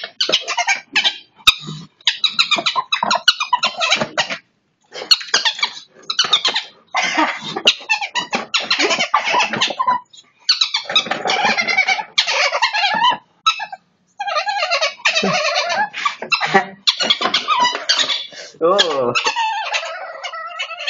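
Harsh, high-pitched squeaks from a ferret come in quick irregular bursts, broken by short pauses. A person speaks at times between the squeaking in what sounds like a small room.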